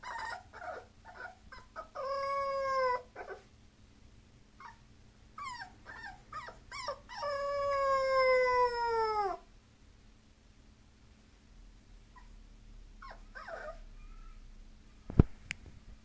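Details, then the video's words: Bulloxer, a mixed-breed dog, whines and then holds two drawn-out, gliding howling cries, the second lasting about two seconds before falling away, followed by quieter whimpers and a sharp knock. "ミックス犬 bulloxer（ブルクサー）"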